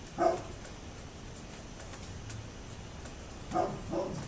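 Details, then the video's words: A neighbour's dog recorded on 27 October 2011, giving three short, mid-pitched barks: one at the start, then a quick pair about half a second apart near the end, over steady background hiss. "Neighbors Barking Dog"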